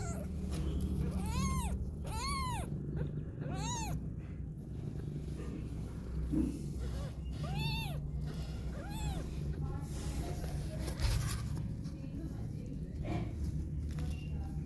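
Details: Mother cat feeding and cuddling her two kittens while wanting to go out, giving repeated arched meows in bursts, four close together then two more, over a low steady rumble of purring and faint background noise.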